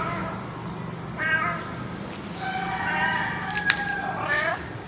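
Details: Orange stray cat Jerry calling at dawn, 6:32 AM in mid-November, in a parking lot behind a home; a few drawn-out harmonic meows, one sliding downward, sound over a constant low rumble with a sharp click.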